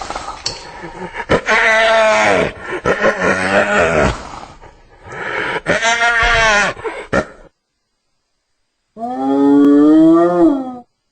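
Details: Hyena vocalising in rough, wavering, moaning bursts with clicks and breaks between them, then, after a pause, one smooth rising whoop.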